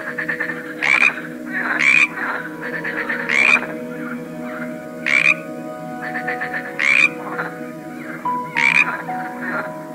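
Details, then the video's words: Frogs from a collection of various species, croaking in short, harsh rasping bursts about once a second, with fainter rattling croaks between them and steady low droning tones running underneath. "A cool collection of various frogs - Croaking sounds"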